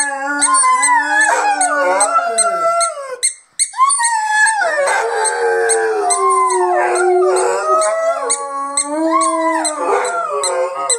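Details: Rhodesian Ridgebacks howling in chorus, described as singing a song: sustained, wavering howls from several dogs that dip and swell, a short break near the middle, then dense overlapping howls rising and falling until the end.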